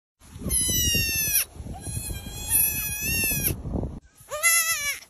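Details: Baby goats bleating: three loud, wavering, nasal bleats, the first two each over a second long and the last shorter, with a dense rustling, shuffling noise underneath.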